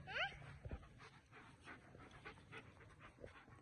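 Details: German Shepherd dog giving one short, loud, rising whine with stacked overtones at the start, then softer breathy sounds and scattered noises while a person speaks Hindi nearby.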